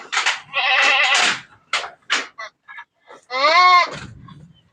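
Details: A goat said to be sick with heart disease and having difficulty breathing: several harsh, broadband bursts, then a longer wavering, strained bleat lasting about half a second near the end, with a person talking nearby.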